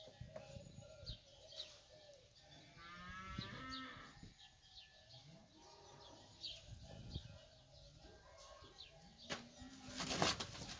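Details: Fighting bulls feeding, giving a low, drawn-out moo with a stacked, harmonic tone around the middle of the recording, while small birds chirp repeatedly in the background and a sharp noise bursts near the end.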